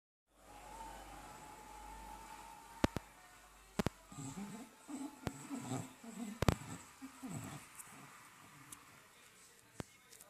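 An English Bulldog snores in low, rough, rumbling breaths, with a few sharp clicks in the room.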